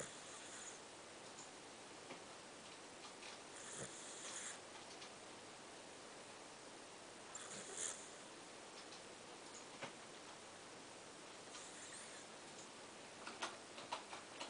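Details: Chibichibi, a pet dog asleep indoors, snoring cutely: soft breathy hissing bursts roughly every three to four seconds, with scattered keyboard clatter and small clicks in the room.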